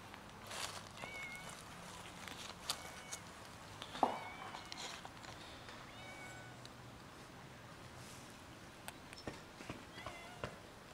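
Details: Fluffy kitten living on the street, giving soft, thin meows with a few gaps between them, faint against steady background noise and scattered clicks.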